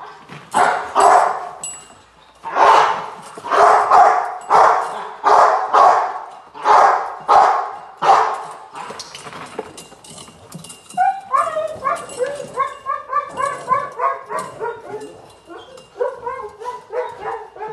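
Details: Rottweiler Gypsy v LordsNLadies in protection training, July 8, 2021: a run of loud, rough barks for about eight seconds, then softer, higher whining yelps repeating in quick bouts.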